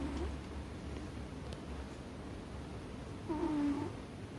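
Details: Ame-chan, a sleeping American Shorthair resting atop a chest of drawers, lets out one hoarse, humming snore late in the stretch, with layered overtones, after soft low breathing noise.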